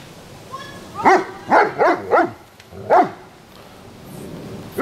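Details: German Shepherd dog barking: five sharp, mid-pitched barks, the first three in quick succession about half a second apart, then a pause before a fifth. A low room hum sits beneath.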